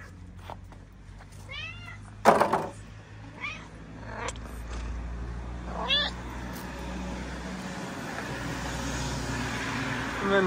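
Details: Homeless mother cat on a street in Morocco, fed daily, keeps meowing about her little family: several short arched meows with bright harmonics, some sharp knocks in between, and a low traffic hum throughout.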